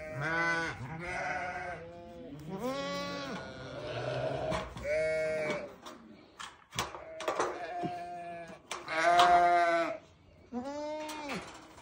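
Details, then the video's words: Newborn lambs bleating in a run of harmonic-rich, wavering calls, about seven bleats over twelve seconds, some overlapping, with short quiet gaps and soft background clicks between them. "Newborn baby sheep so beautiful"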